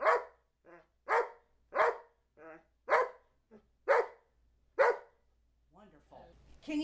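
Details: Charlie B., a two-year-old Old English Sheepdog trained to talk and count to 12, gives six short, loud barks about one second apart as it counts. A person's softer prompting words fall between the barks.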